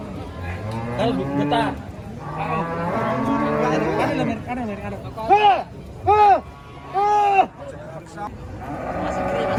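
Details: Underfed cattle, so thin only bones seem left, give sustained moos, then three loud arching calls in quick succession before a final long low.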